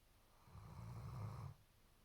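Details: A German Shepherd snores loud and low, one long guttural rumble lasting about a second with a breathy rasp on top, then quiet room tone.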